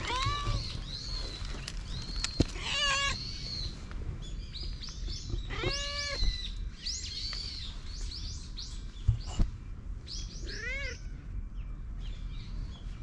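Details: Affection-seeking stray cat running over, captured with a GoPro HERO8: several brief, arched meows spaced a few seconds apart, mixed with busy high bird chirping and a few sharp clicks.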